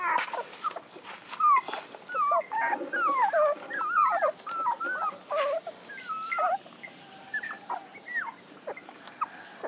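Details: Puppies give soft, wavering whines and short squeaky cries in irregular bursts, some sliding downward, with intermittent clicks and rustling between them.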